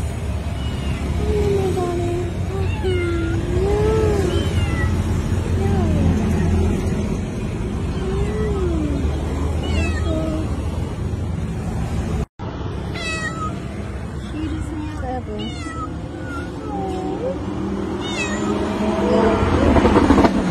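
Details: Stray street cat meowing at night, asking for food: a long series of rising and falling meows, some drawn out and wavering, over steady traffic rumble and occasional speech.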